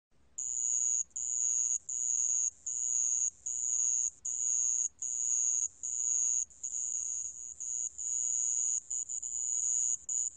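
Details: Sand cricket calling: a high, thin, continuous electric trill broken into long bursts by brief pauses, roughly every second, with a faint lower buzzing tone beneath and a quiet low hum in the background.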